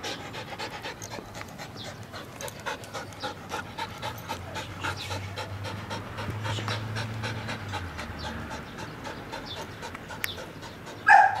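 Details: Flat-coated Retriever puppy, a playful, affectionate female nearly eight months old, panting in quick steady breaths throughout, with a soft low hum in the background and a brief louder sound at the end.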